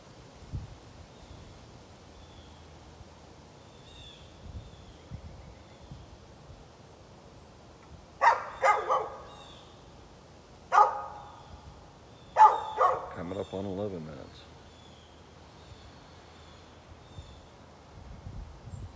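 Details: Neighbour's dog recorded 13 November 2020, giving scattered barks: a quick pair, a lone bark, then another close pair, set against a long stretch of quiet background noise.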